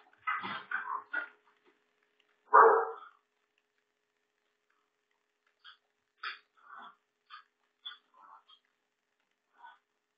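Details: Billy the Lurcher after an epic fail getting on the table: a few sharp barks and yelps early on, then scattered short soft yips and whimpers in near silence.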